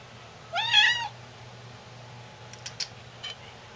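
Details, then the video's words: Pet cat asking for milk and cereal with a single rising-then-falling meow lasting about half a second, followed by a few soft clicks and taps in an otherwise quiet room with a low background hum. "Cat meows for cereal"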